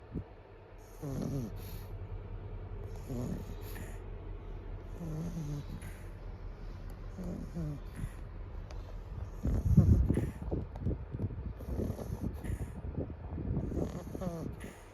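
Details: Pug. A pug snores with deep, throaty rattles on each breath, the rough snorts coming roughly every two seconds. Midway the snoring grows louder and more ragged, with snuffling bursts before settling back.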